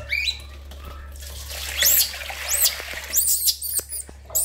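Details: Baby monkey named Lori crying loudly while being bathed: high, arching squeals sweep up and down in short bursts over a background of running water and splashing.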